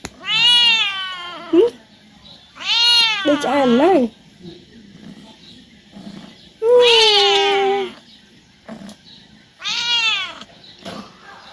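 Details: A talkative tomcat at home pesters his owner to play, repeating loud, drawn-out meows about every three seconds, some rising then wavering downward, with brief human sounds between calls.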